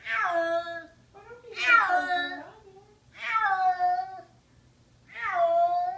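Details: Horrified kitten screaming inside a bedroom, summer 2014, after being brought upstairs: four loud, bright, harmonic wails, each sliding down and fading, spaced about every one and a half seconds, with no other sounds.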